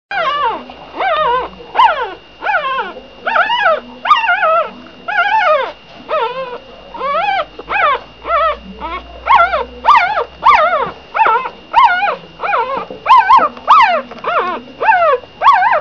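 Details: Shih Tzu puppies crying: a dense run of high, wavering whimpers and yelps, each arching up then down, roughly one to two per second, several voices overlapping, with a faint steady tone in the background.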